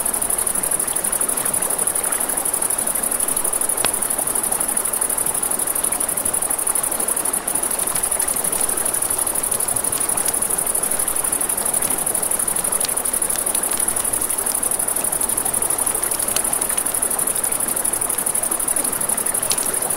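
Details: Crickets at night by a river, a steady high-pitched continuous trill running unbroken through the clip, over crackling campfire pops and the rushing hiss of flowing water.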